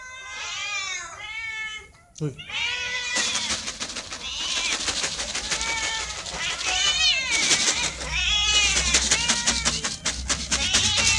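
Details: Domestic cats meowing while being fed in the morning: a rapid overlapping stream of loud, drawn-out arched meows from several cats, some rising then falling, nearly continuous, with a person's voice mixed in.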